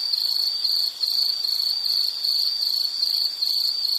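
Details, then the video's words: Insect call in a relaxation soundscape, a sharp high trill broken into rhythmic pulses about every half second, with a brief dip in loudness near the first second. "Nature Sound of nature sounds scenery L · insect"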